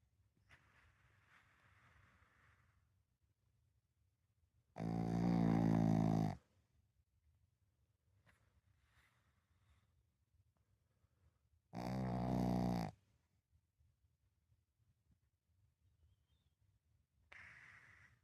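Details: Sleeping pug snoring indoors, loud rasping snores roughly every seven seconds separated by near silence, with a fainter snore starting at the end.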